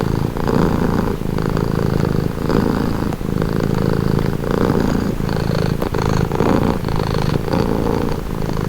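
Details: A cat's calming purr: a low, throbbing rumble rising and falling with each breath, in and out about every second, steady and close with no other sounds.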